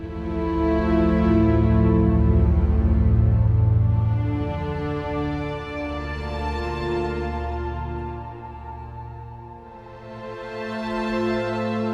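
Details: Sustained, slow ambient music with deep drones and layered tones fills the whole stretch. No animal voices are heard.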